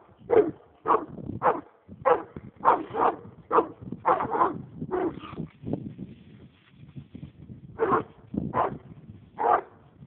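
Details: American leopard hound, roll cage, raccoon in sight: rapid barks crowd the opening seconds, then fade to a low rumbling lull before a few more sharp barks near the end.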